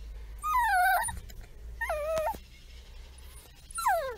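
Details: Female German Shorthaired Pointer puppy, from a birth-to-two-months growth timeline, whines three times in drawn-out, falling, tonal whimpers about a second apart, with quiet handling sounds between.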